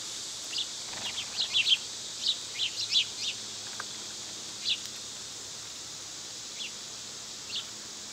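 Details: A constant shrill insect drone from summer cicadas fills the background as a cluster of quick bird chirps comes early, then sparser calls follow.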